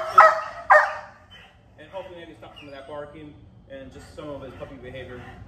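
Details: Cosmo, a Dutch Shepherd in dog training, lets out two sharp, loud barks in quick succession at the start, followed by several seconds of a person talking over quieter background sounds.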